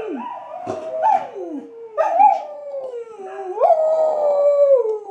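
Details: Australian Kelpie named Sandy howling at a recording of her own howls; smooth sustained howls that rise briefly then glide slowly downward, layered with a second overlapping howl line from the playback.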